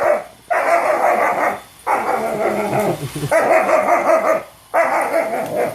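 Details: German Shepherd reacting to a robot vacuum: four long, harsh, drawn-out barking bursts of about a second each, separated by short pauses, with faint household background.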